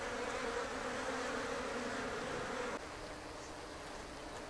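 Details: Japanese honeybees humming inside an observation hive on a shed ceiling in Japan; a thick buzzing drone that drops abruptly in loudness partway through, then continues softer.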